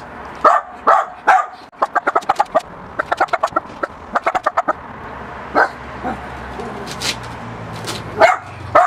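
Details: A Miniature Pinscher confronts a balloon, giving loud single barks early on, then a run of quick rhythmic squeaks or taps, and a few more barks toward the end.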